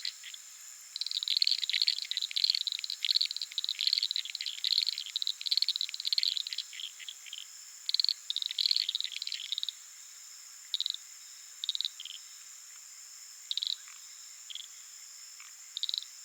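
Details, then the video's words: Many Uruguay harlequin frogs (Lysapsus limellum) calling at night from a small puddle in the flooded savannah of the Pantanal give rapid, high, dry clicks in dense bursts that thin out to scattered single notes. "Frog sounds"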